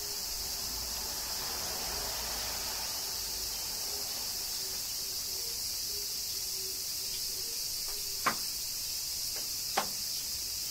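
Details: Kyoto cicadas in a summer shower, Japan: a steady high buzzing drone runs throughout, with a soft pulsing low tone and two loud sharp drips near the end.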